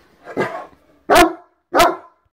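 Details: Great Dane Drake, a black dane three weeks into his new home, playing on the bed; three short, sharp barks, the first softer and the next two loud and abrupt, spaced about 0.7 seconds apart, with a person's voice remarking on the barking.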